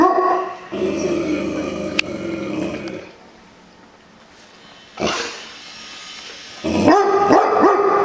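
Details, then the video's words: Brownie, a house dog said to bark at everything, gives a drawn-out rough growling bark, then falls mostly quiet, and ends with a fresh run of sharp barks. Indoor room noise sits underneath. "Brownie Dog Barking"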